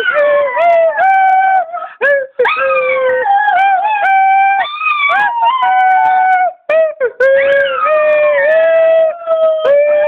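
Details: Pet dog named Torch howling along while his owner sings Home on the Range: long, tuneful, wavering notes that rise and fall, broken by brief pauses, mixed with a human singing voice.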